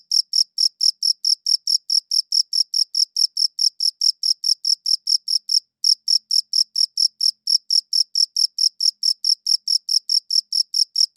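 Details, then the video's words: A cricket chirps in rapid regular pulses, roughly two per second, high and ringing, pausing briefly once midway before resuming the same even rhythm; the background stays silent. "Cricket Chirping Sounds"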